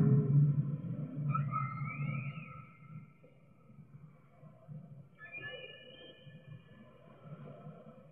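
A whale sings drawn-out tonal notes that swoop up and down over a deep underwater rumble.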